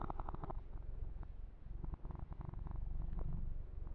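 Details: A pet kitten named Yumak purring while massaged, the low vibrating rumble broken by handling noises and a short dip in the middle.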